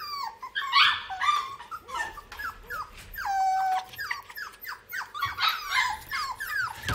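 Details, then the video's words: Several little pet puppies sitting in a basket make a busy stream of high, squeaky whines and yelps, overlapping one another, with one longer wavering whimper near the middle. "AMAZING BABY DOGS SOUNDS VIDEOS"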